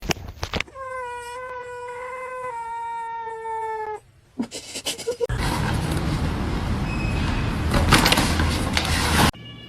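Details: Domestic cat giving a long, drawn-out tonal meow lasting about three seconds with a slight dip, followed by a few short vocal sounds and then several seconds of loud, broad rustling noise.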